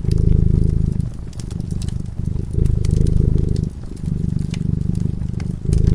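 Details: Domestic cat asleep before a crackling fireplace, purring steadily: a low, rumbling, pulsing purr in stretches of about a second, broken by brief pauses between breaths, with sharp snapping crackles of the fire scattered throughout.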